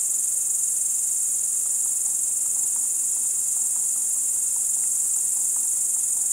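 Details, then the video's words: Night chorus of crickets at Kiili on 30 July 2012, recorded about 01:27: continuous piercing high-pitched buzz without pauses, even in loudness, with faint scattered lower clicks and nothing else audible. "Ritsikate siristamine"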